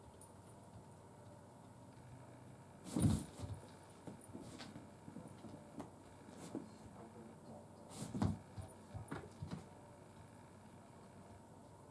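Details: Quiet indoor room tone broken by scattered thumps, knocks and light rattling, with no animal voice.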